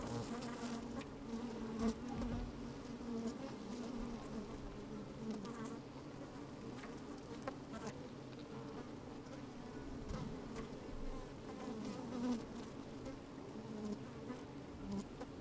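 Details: Inside an opened beehive on a sunny day, honey bees moving about make a continuous low droning hum, layered tones steady throughout with faint scrapes and small clicks, picked up by a microphone lowered into the hive.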